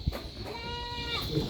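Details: A young goat playing in a goat pen gives a single wavering, nasal bleat lasting just under a second.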